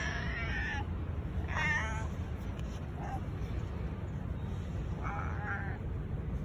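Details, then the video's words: Stray cat meowing repeatedly, said to know its visitor is coming to see him; three drawn-out, wavering mid-pitched meows, the middle one loudest, over a steady low rumble of background noise. "Stray cat keeps meowing because he knows I’m coming to see him"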